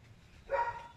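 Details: Jack Russell Terrier eating kangkong (water spinach), giving one brief, high, tonal whimper-like yip about half a second in, over a faint low hum and quiet room background.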